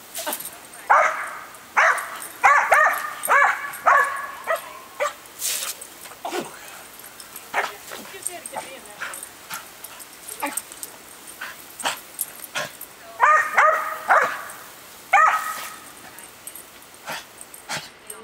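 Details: Female dog, normally docile, barking at a hose sprayer during watering: clusters of high yips early and again near the end, separated by clattering, spraying water noise and a stretch with human speech.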